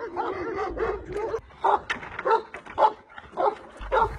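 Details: Barking from Kangal flock-guarding dogs working with nomads' herds: a few loud, gruff barks spaced about half a second apart, one mixed with a yelping note, with soft background music underneath.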